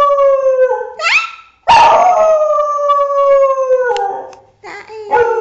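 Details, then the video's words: Thai Bangkaew dog, female and six years old, howling: a steady tone drops in pitch, a quick rising yelp, then a long loud howl gradually falling, ending with short broken whines. "very funny dog howling!!!"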